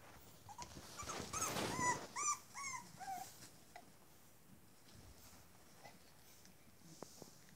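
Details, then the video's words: Boston Terrier puppies indoors in a small room: a quick run of high, whistled whimpers and yelps, several sliding downward, clustered in the first few seconds, then fading to sparse faint squeaks amid low room noise. "Boston terrier puppies"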